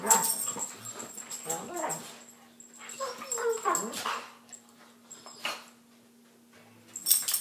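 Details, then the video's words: Two dogs fighting inside a small room, uttering harmonic whining yelps and gruff growls in bursts separated by pauses, with a human voice and a low steady hum in the background. "Funny dog fight"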